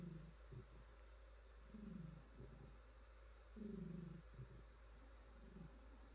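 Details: Female house cat purring as her fur is stroked, a deep rumbling purr in uneven phrases about every two seconds, some longer and louder, low-pitched with quiet hiss underneath.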